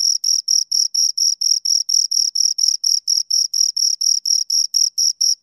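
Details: Chirping of two crickets: clipped, high-pitched trills repeated roughly four times a second in an unbroken, even train over a silent background.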